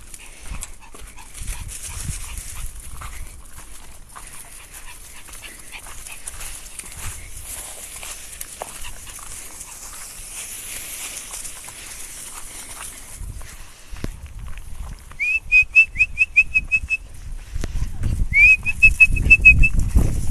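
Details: A chihuahua and a poodle at play: a quiet stretch of soft rustling and breathing, then two bursts of short, high, squeaky whine-like pips in quick runs of about six, growing louder near the end.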